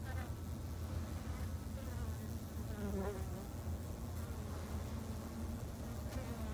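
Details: Japanese honey bees at a home apiary in Japan: continuous low humming, with a rising and falling buzz of a single bee passing near around the middle.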